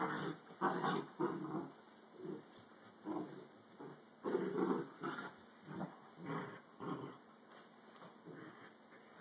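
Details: Fight between Dachshunds. Throaty snarling growls come in short bursts about every half second to second throughout, some louder clusters in between, and a low steady hum runs underneath.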